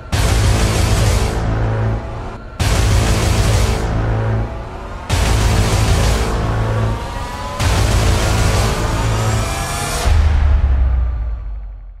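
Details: Dark, heavy soundtrack music with deep bass, swelling in repeated loud blocks about every two and a half seconds, with no animal sounds heard.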